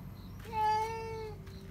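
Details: A pet cat inside the house lets out a single sustained, even-pitched scream, just under a second long, provoked by another cat spotted outdoors; a quiet room murmur surrounds it.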